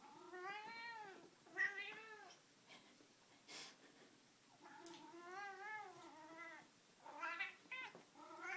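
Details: Excited during play with his string cat toy, Rusty Bee the house cat produces a run of long, rising-and-falling yowls in two bursts separated by a quiet pause, with light knocks and rustling.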